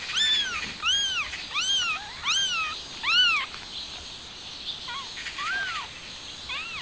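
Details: A stray mother cat trying to take her kitten outside; loud, clear arched meows repeated about once a second, with rich harmonics, then softer, thinner cries after a brief pause.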